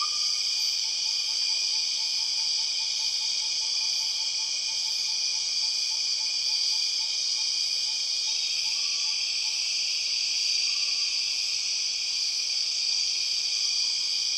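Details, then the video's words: {'caption': 'Empress cicadas of the Borneo rainforest keep up a steady, intense high buzz. Beneath it, a soft rapid series of evenly spaced low pulses runs for several seconds, and a few short mid-pitched notes follow.'} "The weird sound of empress cicadas"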